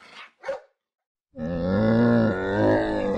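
A person says the name aloud, then a camel gives a deep, rumbling groan-like growl lasting about two seconds, with a slight waver near the end.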